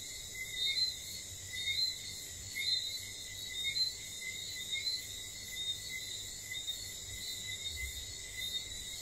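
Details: Whistling frogs heard after dark on St. Lucia: clipped, rising whistles recur roughly once a second above a persistent high-pitched hum of insects and crickets.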